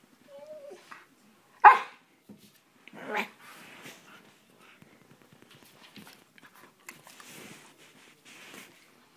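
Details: A Siberian Husky playing with a hand gives one sharp, loud bark, then a rougher, drawn-out vocal burst and softer scattered grumbles, with faint talking in a small indoor room.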